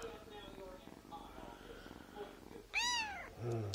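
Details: Small Siamese kitten being spoken to at home; quiet voices and shuffling, then a single sharp, high meow arching up and down, followed by a short low human sound.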